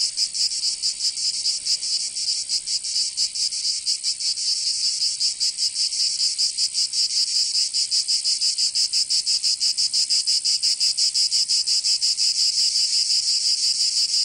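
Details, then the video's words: Provençal cicadas in summer, southern France, producing an unbroken shrill rasping chorus; the pulsing grows sharper and more regular in the second half. "Canto Cigarra 🦗 [ Escuchar les cigarras en verano 10 H]"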